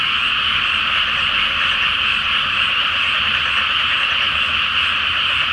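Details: Night chorus of many frogs in a flooded paddy before rice planting, beneath the full flower moon. Countless overlapping trilling croaks merge into one even, sustained drone throughout.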